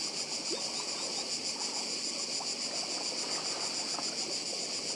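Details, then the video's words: On Badija island in Croatia, massed cicadas keep up a constant high-pitched pulsing buzz, with the muted rush of sea waves and a few faint clicks below. "Cykady i szum morza w Chorwacji"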